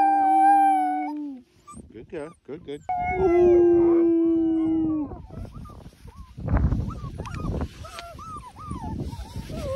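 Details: Three wolfdog puppies howling with adult wolfdogs: long level howls overlapping, then breaking into short wavering yips and rising-falling cries over rustling and scuffing.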